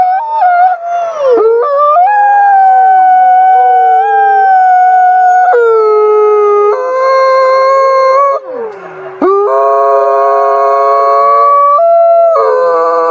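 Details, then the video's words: Wolves howling at night: several overlapping voices hold long, smooth tones, some sliding up or down, while others join in at higher pitches. Brief breaks and rough patches occur between phrases, and a fuller chorus of steady tones comes toward the end. "Menyeramkan Suara Lolongan Srigala Malam"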